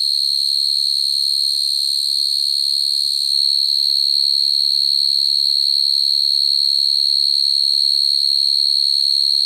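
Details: Night-time field cricket song meant to call females, used as a lure for cricket trapping: an intense, even, high-pitched ringing trill that never pauses, with a faint low hum underneath.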